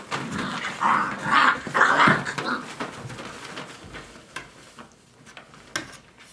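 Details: Dogo Argentino puppies, five weeks old, a few bright whimpering yelps in the first two seconds, then quieter scuffling and faint clicks indoors.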